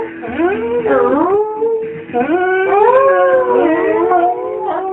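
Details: A male Rhodesian Ridgeback howls in long, wavering, rising and falling tones, almost like singing.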